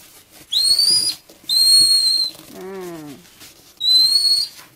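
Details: Baby Asian small-clawed otter born 10 April 2017 at Ise Sea Paradise aquarium, suddenly overcome by sleepiness after playing. Three loud, shrill whistled squeaks with a sliding onset, each about half a second long, plus one lower wavering descending whine between them.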